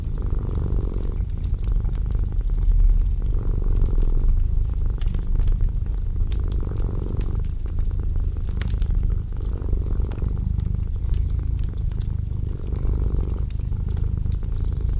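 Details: Cat purring by a winter fireplace: a low, steady rumbling purr that swells and eases in cycles about every two seconds, with faint crackling from the fire throughout.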